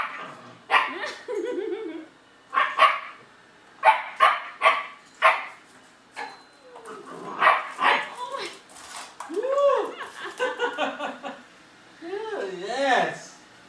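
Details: Frightened German Shepherd puppy facing a robotic vacuum: sharp, irregular barks come in clusters, alternating with a person's voice talking over and between them.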